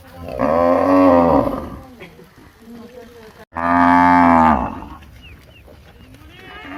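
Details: Two loud moos from a village cow, each about one to one and a half seconds long, deep and harmonic with a slight downward bend, separated by a short quiet gap with faint background noise.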